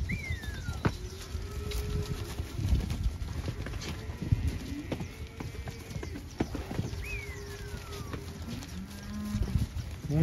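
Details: Pregnant Holstein heifers from artificial insemination, filmed as a group: low, drawn-out tonal moos rising and falling, with sharp descending whistles, hoof and handling knocks, and a man talking nearby.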